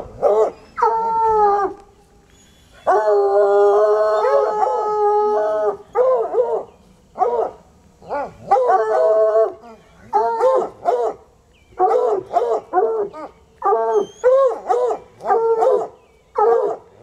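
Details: Two untrained coonhounds, Sunny and Hazard, baying outdoors for hours; a long sustained harmonic howl followed by a string of short, choppy bays from both dogs, their names called out afterward.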